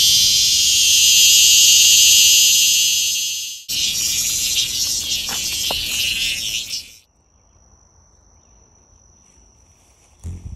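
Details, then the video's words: Noisy cicada giving a loud, continuous high-pitched buzzing drone that shifts tone partway through, then cuts off abruptly, leaving a faint thin whine and quiet background. "A Noisy Cicada!!!"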